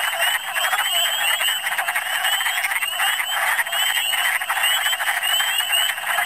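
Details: Wood frogs massed in large numbers in spring in Michigan, forming a dense, continuous chorus of rapid clucking, croaking notes, with a steady layer of higher, upslurred chirps running over the top throughout.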